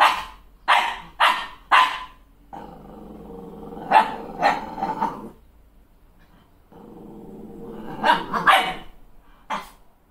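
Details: Malshi crossbreed puppy, female, raging at her mirror image after being newly groomed: a burst of three quick barks, a long sustained growl with sharp yips inside it, another growl, and closing barks.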